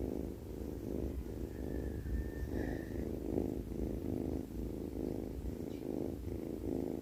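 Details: Snoring from a sleeping cat: low rumbling pulses rising and falling with each breath, about one to two per second, plus a faint brief whistle-like tone early on.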